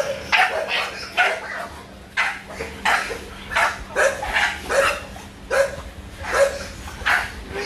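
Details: Muscletone Beanstock, an American Bully, gives repeated hoarse barks with a tonal edge, about one every second at an irregular pace, over a faint steady hum and music.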